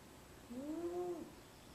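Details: One drawn-out whistling snore from Venus, a domestic cat asleep in a small basket, a smooth arching nasal tone lasting under a second in a quiet room.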